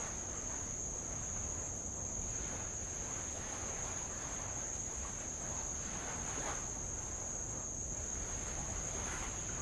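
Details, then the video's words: From a rowboat circling Avalau island in the Kingdom of Tonga, insects produce a sustained high-pitched ringing drone, with rhythmic soft splashes of light waves breaking on old lava. "sound of light Waves on old lava and Insects"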